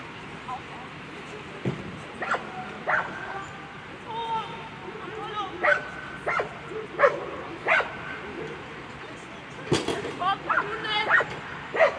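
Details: German Shepherd named Apollo des chiens de travail at a World Championship agility event, A2 Sunday run: sharp, harmonic-rich barks burst out irregularly, roughly every second or two, over an indoor arena murmur with voices and crowd noise.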